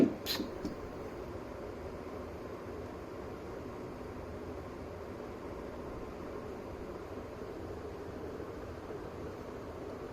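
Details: Only a steady low room hum and faint rustling are heard, with a brief thump at the start. No animal voice stands out against the background noise.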